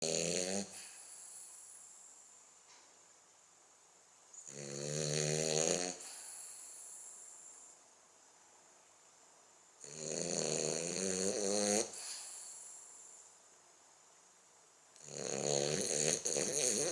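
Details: French Bulldog asleep and snoring: long rasping snores, each about one and a half to two seconds, with a buzzy low tone and hissing upper noise, returning roughly every five seconds with quiet pauses between.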